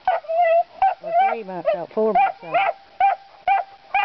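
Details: Puppies about three to four months old baying at hogs: high yelps and barks, interleaved with a man speaking in a low voice, some drawn-out whiny cries.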